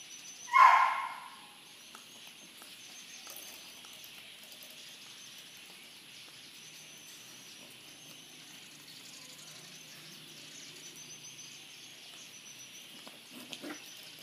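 A Corgi gives a single sharp bark, followed by a long stretch of quiet outdoor ambience.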